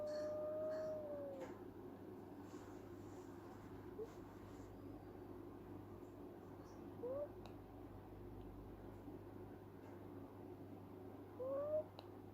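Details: A female kitten dreaming in her sleep gives a few soft, thin squeaks and a brief whine over a steady hum.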